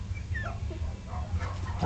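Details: Three-week-old Shetland Sheepdog puppies, a trio, rolling over each other and pouncing on toys in a whelping box; brief thin whimpering squeaks over low rumbling handling noise, ending in a louder yelp.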